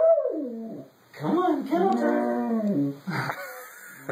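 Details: Husky giving drawn-out, wavering howl-like moans with rising and falling tone, a first short wail then a longer yodelling phrase, amid a person urging it to come on.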